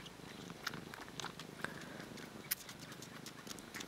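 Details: Domestic cat purring while kneading: a soft, low, continuous rumbling throb with faint clicks and rustling over it.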